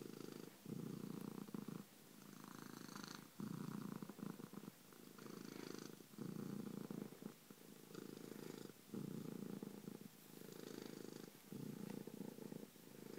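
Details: Loud purring from Bronco, a domestic cat: deep buzzing rumble in repeated phases roughly every two seconds, alternating with each breath in and out, with faint higher rustles.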